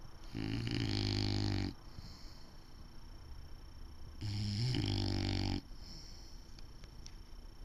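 Heavy, low rattling snores come from an English Bulldog, each drawn-out rumbling breath lasting over a second. Quieter breathing fills the pauses before the next snore, roughly four seconds later.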